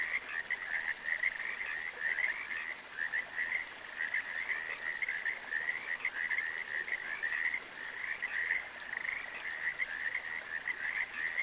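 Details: Chorus of frogs producing a steady stream of quick, grating croaks merging into a constant trilling drone, with small surges in loudness every second or so and nothing else audible.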